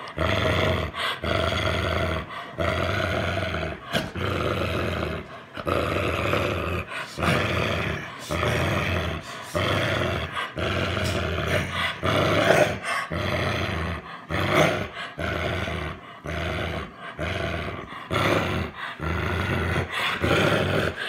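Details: Boomer the American Bulldog growls over his stuffed monkey, a long run of guttural, rasping growls repeated in short pulses about once a second, rising and falling in loudness.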